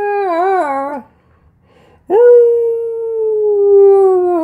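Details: Siberian husky talking indoors, demanding its owner get out of bed: a one-second warbling, wavering vocal phrase, a short silence, then a long sustained howl-like tone that slowly falls in pitch.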